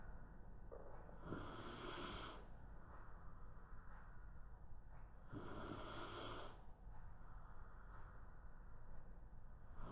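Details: Napping Shiba Inu stretched out on the floor at lunchtime, giving two drawn-out, wheezy snores roughly four seconds apart, with soft hissing exhales between them and a constant low room hum underneath.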